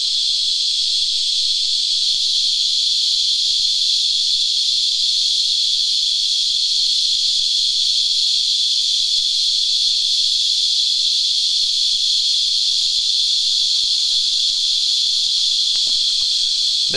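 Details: Cicadas, locally called Christmas Beetles, feed on sap on a tree while filling the air with a shrill, unbroken, rasping buzz that holds steady without pause.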